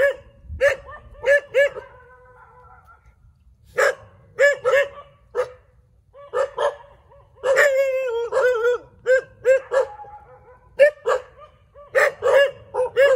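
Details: Several dogs barking in the middle of a street: sharp, harmonic barks in irregular bursts, some doubled or tripled, a longer whining yelp near the middle, with short quiet gaps between volleys.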